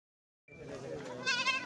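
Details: Large Beetal doe with two kids, being sold in a live deal: one short, quavering bleat with a rich harmonic tone that grows louder and wavers in its final half-second.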